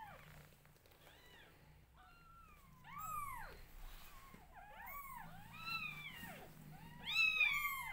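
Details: Several newborn kittens meow loudly while the mother cat grooms them, a busy run of overlapping high, arched squeaks that grows louder and denser toward the end, with faint rustling underneath.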